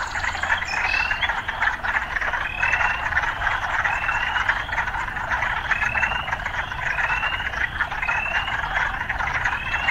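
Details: A chorus of urban frogs: continuous buzzy calling topped by sharp rising whistled notes spaced about one to two seconds apart, over a soft low background rumble.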